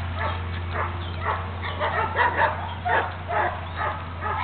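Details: Solid black German Shepherd puppies yipping and whining continuously, overlapping high-pitched yelps rising and falling in quick succession with no pause.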